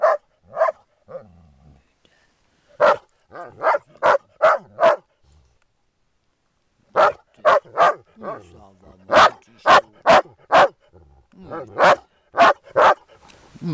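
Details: Playing Groenendael dogs guarding a resource, giving loud clipped barks in rapid clusters over the whole stretch, with deep throaty growling underneath between the bursts.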